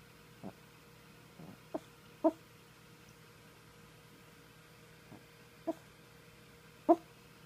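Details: Maltese dog barking in its sleep indoors: soft, muffled little yips and woofs spaced irregularly, about seven short bursts, the last few sharper and louder, over quiet room hum.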